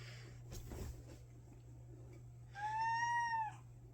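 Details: Indoor domestic cat crying as it comes up to its owner before attacking: one clear falling meow about one second long near the end, preceded by quiet room noise, a steady low hum and a brief rustle.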